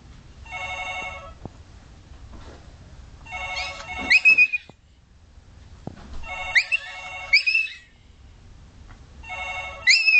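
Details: Pet dog squeaking whenever a phone, doorbell or anything else rings: high, sliding squeaks rise and fall between bursts of a repeating electronic ringtone, which sounds four times across the clip.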